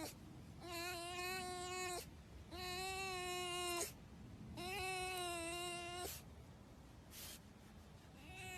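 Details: Red fox kept as a pet, calling while its owner pets it: three long, steady, nasal whines of over a second each with short pauses between, then a brief softer note, quiet room behind.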